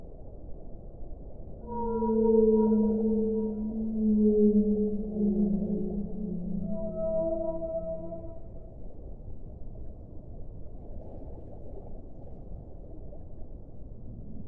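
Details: Whale song in a relaxation recording: long, smooth, harmonic moans that slide slowly downward, several overlapping, from about the second to the ninth second, over a steady low wash of water-like noise.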